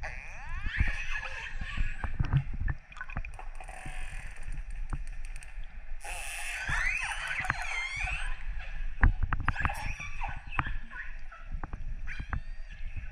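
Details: Wild orcas recorded underwater off northern Norway in December 2018, after dark, make squealing, bending calls over heavy low rumbling and bubbling noise.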